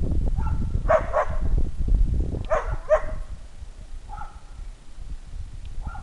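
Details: Wasabi, a whippet, straining to reach a squirrel, gives short bursts of high yelping whines with harmonics, several cries spaced a second or two apart, over a steady low rumble of background noise.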